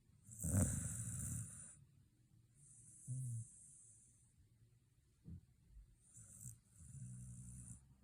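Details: A Shiba Inu asleep following a day at the dog run. One strong, rasping snore opens, then shorter soft grunts and a long, wheezy exhale, all low and breathy.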